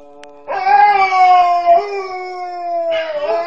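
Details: Female Alaskan Malamute Nukka howls as though missing her mum: a clear tonal howl that rises slightly, then slowly sags, with a short break and a fresh upward-bent note near the end.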